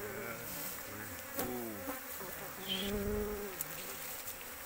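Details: Many Asian honey bees at a large colony in an oil palm plantation; a low droning buzz with shifting pitch as individual bees pass near, sharp clicks, and a brief rustle midway.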